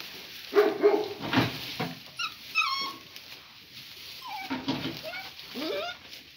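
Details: Gracie, a Great Pyrenees mother, at play with her puppies: thin, high whines that drop in pitch, in short separate bursts, mixed with a few louder yips and some scuffling.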